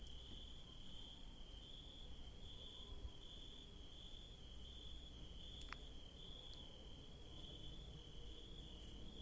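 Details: Crickets at night in a garden where yellow daisies bloom, a steady, unbroken high shrill chorus of several insects layered at two pitches, with a faint low rumble underneath and a couple of brief soft clicks.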